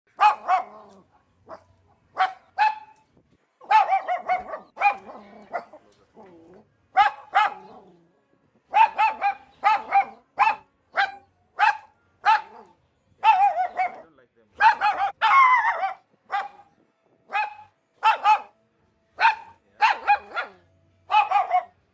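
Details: A tiny Chihuahua barks over and over in sharp, high, yappy bursts, often in quick doubles and triples. Short pauses break the barking, and there are a few softer whining sounds in between.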